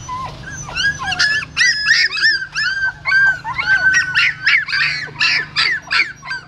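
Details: A female dog carrying her newborn puppies in her mouth from a pagoda stupa in Siem Reap. Loud, dense chorus of piercing squealing whimpers, about three a second, rising and falling, with a rough edge on some cries.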